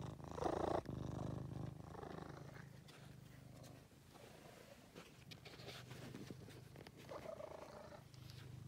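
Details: Purring from Angelus, a male house cat rescued from a basement: a deep continuous rumble rising and easing with each breath, with a louder rustle near the start and soft handling noises throughout.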